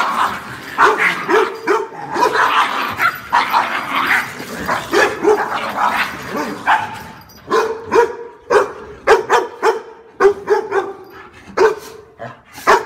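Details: Dog barks amid a busy, noisy background at first, then clearer repeated barks about once a second stand out toward the end.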